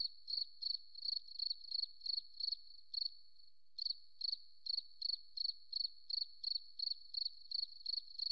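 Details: Cricket in a forest setting, giving high, bright chirps in a quick even series, about three a second, with a brief pause just after three seconds before the pulses resume; no other sounds.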